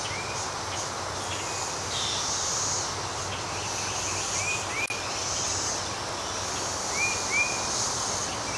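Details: Morning chorus of Brood XIX 13-year cicadas, the Great Southern Brood, in a Nashville, Tennessee back yard on May 12, 2011, most freshly molted; a steady high droning hiss with swelling pulses, plus bird chirps with short rising whistles.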